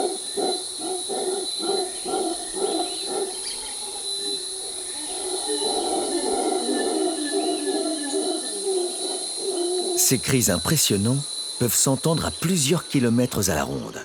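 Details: Howler monkeys in Costa Rica, howling to communicate and defend territory. Rhythmic, low harmonic pulses build into loud, wavering roars near the end, with a constant high insect drone behind.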